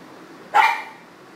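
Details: Leo, a pug indoors at a studio in Portland, Maine, barks to serenade a passing city-worker friend: one sharp, bright bark with a brief tail, standing out against quiet room background.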